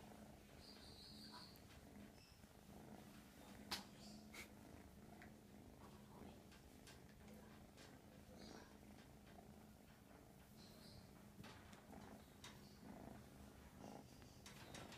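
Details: Mash, an American Shorthair kitten, keeps up a constant low purr, an even rumbling drone with no pauses, while brief rustles, small clicks and a short high squeak sound over it.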